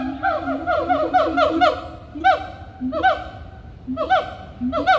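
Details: At Animal Kingdom, loud monkeys give a fast run of chattering, upswept yelps over low hoots, then spaced single rising cries roughly every second.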